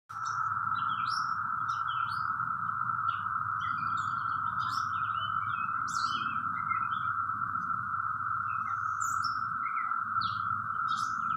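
A cicada holds a steady, unbroken buzzing drone while small birds chirp here and there behind it.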